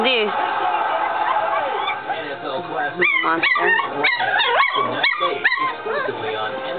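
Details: Litter of Chucky x Deuce puppies aged three weeks: murmuring voices and soft whining give way to a run of sharp, upward-flicking yips, about one every half second, each a bright harmonic burst over steady background talk.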